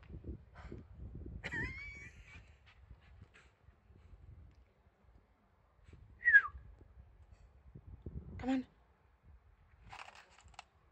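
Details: A West Highland white terrier out in the first snow gives a few short, sharp barks and a brief whine over low rumbling noise.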